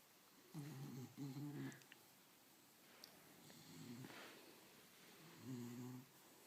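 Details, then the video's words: Bulldog burping indoors: three low, rough, voiced bursts, the first a double grunt near the start, then a shorter one midway and a final one at the end, separated by quiet breathing. "Burping bulldog"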